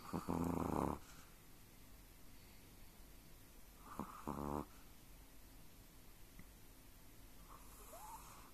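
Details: Sleeping Chihuahua-pug mix dreaming, two loud rasping snore-like snuffles near the start and middle, then quiet breathing with a faint rising whistle toward the end, indoors.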